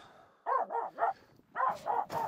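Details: Crossing snow on Mulen, the Finnish Spitz Aamu barks at two reindeer walking close by; two quick runs of three sharp barks separated by a short pause.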